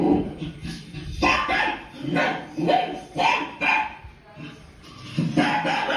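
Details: Domestic dog Leo reacting to TV barking: rough barks in bursts, overlapping with human voices in the room.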